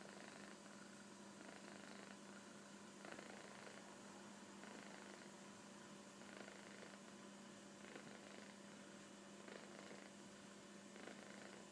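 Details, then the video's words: Sleeping kitten snoring on a sofa; soft, airy rasping breaths repeat at an uneven pace, about every one and a half seconds, against a constant low background hum. "いびきをかく猫 - Snoring Kitten -"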